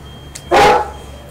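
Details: A single deep, loud bark from a big dog, short and gruff, standing out against a quiet room hum, with faint clicks before and after.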